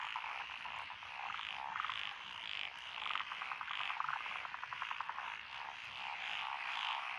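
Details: Frogs calling together in lotus paddies along a rural road, Echizen City, Fukui, Japan, 12 June 2021; species include Japanese tree, black-spotted pond, wrinkled, Schlegel's green and forest green tree frogs. Continuous layered croaking with quick pulsed rattles midway.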